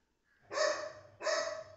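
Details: Rocky, a pet Golden Retriever, barks twice in quick succession, each bark loud and abrupt with a drawn-out tail, the pair roughly 0.7 seconds apart in an otherwise quiet room.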